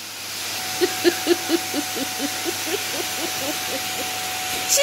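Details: A female Maine Coon kitten attacking the Hoover gives a quick run of short chirping calls that fade, over a steady vacuum-cleaner hum.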